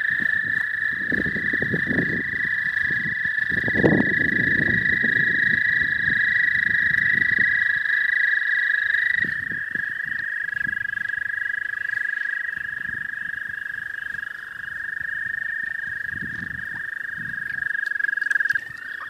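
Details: Spring chorus of what may be American toads in the southern half of the state: long, sustained high trills overlapping, one dropping out and another shifting pitch midway, with low rumbling bursts and rustling beneath.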